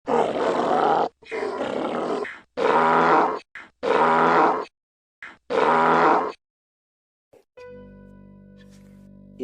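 A Mongolian wild ass brays in a run of harsh, rasping bursts, each about a second long.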